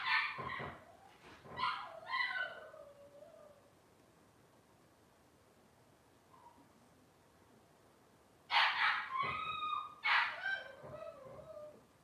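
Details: Cavalier King Charles Spaniel puppies from Robin's litter on a kitchen livestream, giving two clusters of high whining yelps with falling tails, one near the start and another around eight seconds in, quiet room between.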